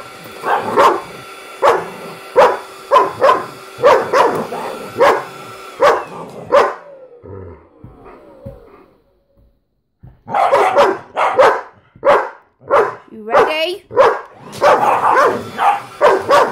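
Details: Dogs, a German Shepherd among them, barking at a small vacuum cleaner they hate. Loud, rapid barks repeat roughly every second, pause into near silence midway, then resume in a denser, rougher burst with growly yips.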